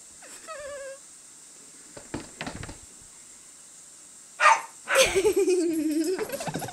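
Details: Female Siberian Husky puppy running around crazily during play, giving a brief whine, then, after some thumps, a long, loud, bending yowl that falls and wavers over more than a second.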